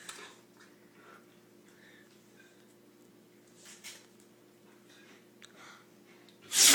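A Rottweiler sneezes with a sudden, sharp, hissing burst after a few quiet snuffles.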